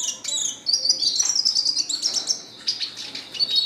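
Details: Red siskin pouring out a sustained high, twittering song, with a wavering buzzy trill that runs almost without break and scattered sharp chirps.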